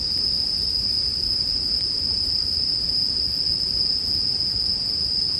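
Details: High steady ringing of bell crickets runs on without pause while a campfire hisses and crackles softly below, part of a relaxing bedtime soundscape.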